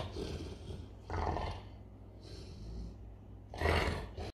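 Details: A male Bernese Mountain Dog makes low, throaty rumbling growls in a few short surges, like a revving Harley-Davidson engine, rising and fading over several seconds.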